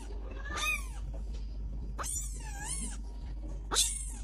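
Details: Domestic cat meowing three times: a wavering, arching meow near one second, a longer bending meow around two to three seconds, and a short sharp cry at the end, over steady low hum.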